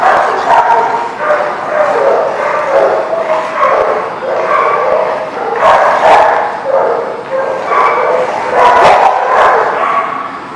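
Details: Many dogs barking together at a kennel lot on 10/11/19, a dense continuous chorus of overlapping barks with sharper peaks every second or so and no pause.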